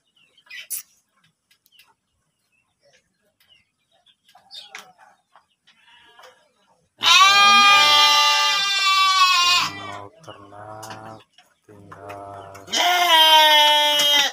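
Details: Penned breeding sheep at a village farm in Tanjung, Cipunagara, Subang, Indonesia: after quiet rustling, a loud wavering bleat, softer bleats with a low hum, then another strong bleat at the end.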